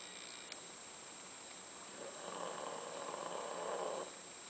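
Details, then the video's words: Sleeping dog, one of the pair Candy and Frank, in their last days, gives a soft breathy snore that swells over about two seconds against a steady high electronic whine. "Snoring Candy and Frank"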